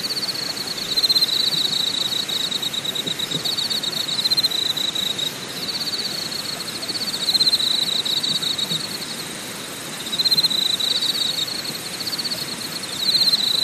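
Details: Insects calling at Deokyudae Camping Site in Deogyusan National Park, Korea: a steady high trilling band that swells and fades in waves, with fainter rapid ticking pulses far above, over a constant broad hiss.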